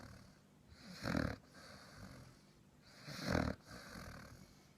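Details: Sleeping dog snoring softly, two raspy, wheezing breaths about two seconds apart, each a short rough surge fading back to quiet breathing.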